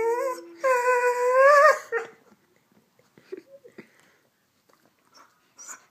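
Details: Pet Rhodesian Ridgeback 'talking' when told to speak louder: one long, rich, harmonic moan of about two seconds that rises slightly and holds before fading, followed by near quiet with a few faint knocks.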